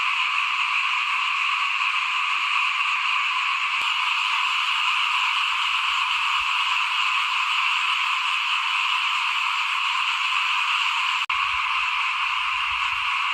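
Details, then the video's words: Small frogs chorus in front of a house during rice sowing in 2021. A steady, thick high-pitched trilling wall of calls runs throughout. A few soft low croaks come early, then low rumbling and a sharp click. "ฟินๆกับเสียงเขียดร้องหน้าบ้าน ตอนหว่านข้าวเตรียมปลูกปี2021"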